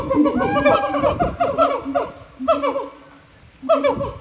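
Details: Siamangs at Japan Monkey Center sing with throat sacs that boost their volume; rapid series of loud, rising and falling hooting notes, fading briefly before another burst.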